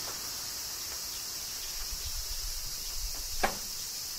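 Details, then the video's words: Cicadas during summer rain in Kyoto, Japan, making a steady, unbroken high droning hiss, with scattered raindrop taps and a low rumbling underneath. "Cicadas Summer Rain - Zen Sounds of Kyoto, Japan"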